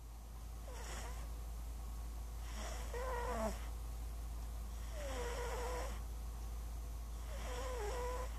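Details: A sleeping, dreaming house cat named Princess Squeaks snoring: four airy snore bursts, each with a thin squeaking whine that bends downward then up, over a steady low hum.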